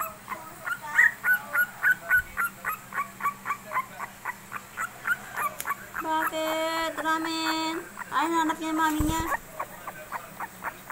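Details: A third-week Shih Tzu puppy of princess type, 23 days old, keeps up a long string of rapid, high-pitched yips and squeaks. Midway, a sustained buzzy tone like music or a voice overlaps before the yelping resumes.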